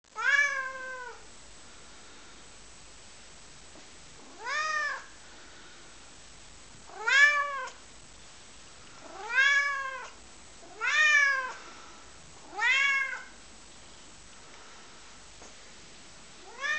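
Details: A lilac tabby point Siamese cat gives loud, drawn-out meows, each rising then falling and repeated every two seconds or so, as it asks its owner for a favour.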